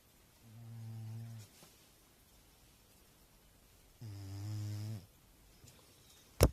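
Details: A fat cat sleeping deeply and snoring indoors: two long, low, harmonic snores about three seconds apart, each lasting around a second, with a sharp click near the end.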